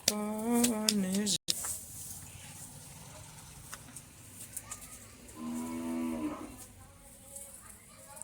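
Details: Jafarabadi buffalo bellowing, with people talking nearby: a loud, wavering moo opens the recording, noisy background follows with scattered knocks, and a second shorter, steadier low bellow comes around the six-second mark.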